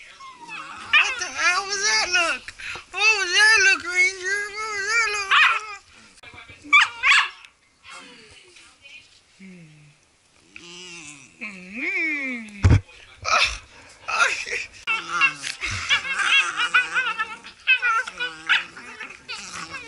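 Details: Pet Blue Heelers playing in a small room give long, bending howl-whines that swoop up and down in pitch, with one sharp downward glide and a thud, while a person speaks over them.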